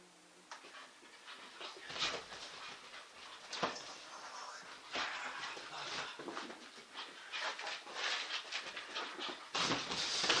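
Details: English Bull Terrier during a game of chase; dense, breathy panting and scrabbling bursts, growing louder toward the end, with no clear barks.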